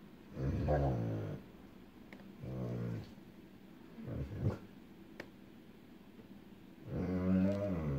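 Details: Echo, a female dog afraid of storms, reacting after seeing distant lightning before any thunder; low groaning growl-whines in four bursts, the last longest, with quiet room background between.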